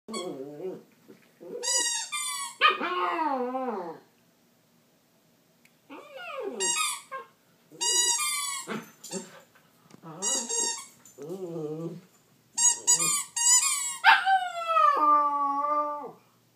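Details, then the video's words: Pet dog, apparently frustrated while playing with a squeaky bird toy, making unusual noises: bursts of whiny, yodel-like howling whimpers that rise and fall, grouped in runs of several seconds with short pauses, in a small quiet room. "Dog makes some crazy noises!"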